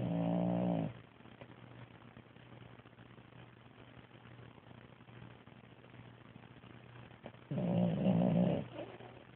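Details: A French Bulldog snores in deep, rattling, low-pitched rasps roughly seven seconds apart, recorded 11 December 2010.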